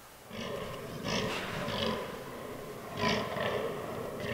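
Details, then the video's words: Fallow deer buck during the autumn rut in a forest, giving a few harsh, throaty groans in short separate bursts with gaps between them. The herd includes albino and melanistic bucks. "Fallow Deer Rut 2022"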